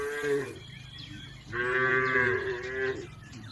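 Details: Tame village cattle from a herd grazing in a green field: two drawn-out moos with strong harmonic bands, the first short near the start, the second longer and steady from about 1.5 to 3 seconds, with faint background noise.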